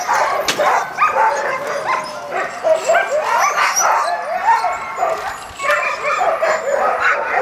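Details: Group of sled dogs at Caribou Crossing barking and whining in bursts, with a sharp knock early on and a short lull before the yelping picks up again.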